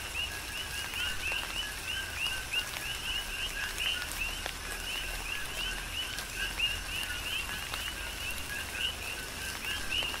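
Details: Chorus of coqui frogs on Hawaii's Big Island, recorded in tropical rain. Frequent two-part calls, a brief lower tone sliding up into a bright chirp, overlap from several frogs above a steady hiss of falling rain and drips.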